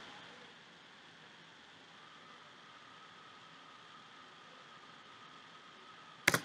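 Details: Steady low hiss and faint electronic hum, ending in a sharp click or thump; no animal sound.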